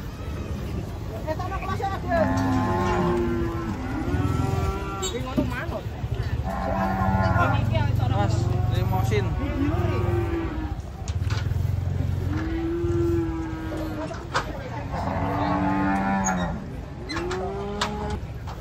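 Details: Cattle coming down off a truck moo repeatedly in short, arched bellows, several overlapping, roughly every couple of seconds, with a deep rumbling engine hum and some voices behind.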